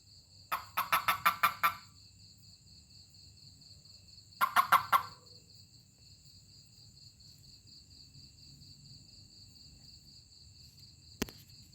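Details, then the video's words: Touched toad producing two bursts of fast, grating pulses, the first longer with about eight pulses and the second shorter, followed by quiet, a steady high insect hum, and a single sharp click near the end. "Funny Toad 🐸 Sound when I Touch it/面白いヒキガエルの鳴き声"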